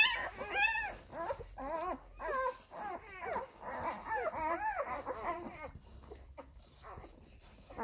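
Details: Young Labrador Retriever puppies at their mother's teats while nursing, producing a run of short, squeaky whimpers and yelps in quick succession, about two per second, fading to quieter suckling noises near the end.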